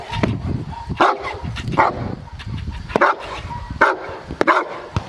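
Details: Aaron, a Cane Corso aged 14 months, during IPO training at Cascina Crimea in Cavagliano, Novara province, Italy. Deep, short barks sound about once a second in an uneven series, with faint talk underneath.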